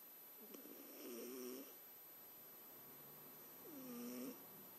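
A Scottish Fold cat snores in two slow, droning, wheezy breaths a few seconds apart.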